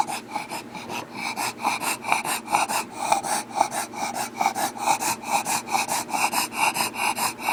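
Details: A bulldog breathing very heavily, short rasping breaths repeated about twice a second in a steady run, each breath a broad hiss with nasal snorting tones.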